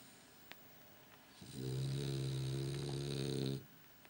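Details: A French Bulldog sleeping with his eyes open gives one long, deep, rumbling snore with a rattling buzz.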